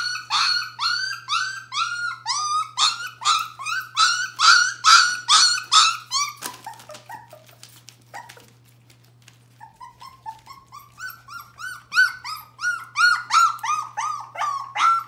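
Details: A litter of Bohemian Shepherd puppies, nearly four weeks old, cry in a rapid run of rising-then-falling harmonic whimpers. After a brief lull with scattered softer notes, a second string of whimpers starts up, slightly higher and more urgent.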